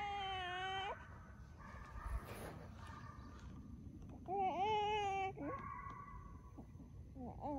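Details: Deer hound pups, a few months from aging out of puppy hunts, run coyotes in a fox pen. Loud, long howling bawls rise and fall in pitch, and softer baying continues between them.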